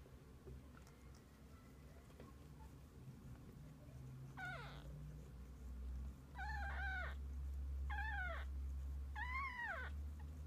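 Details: Domestic cat with kittens, family spending the day together; after a quiet start, four arched meows come roughly every second and a half, under a loud deep rumbling drone.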